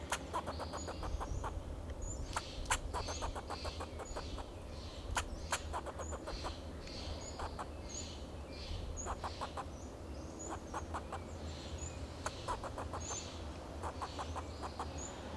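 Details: In Del Monte Forest, California, a fox squirrel on a Monterey pine sounds alarm calls to protect itself and its territory: repeated volleys of harsh chattering clicks throughout, faint thin whistles above, and a constant low hum.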